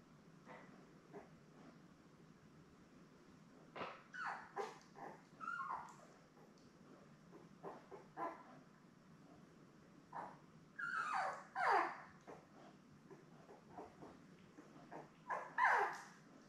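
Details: Seven newborn Labrador Retriever puppies with their mother Belle on a live puppy cam; scattered soft whimpers and squeaks building into louder wavering whines near the end, over quiet rustling.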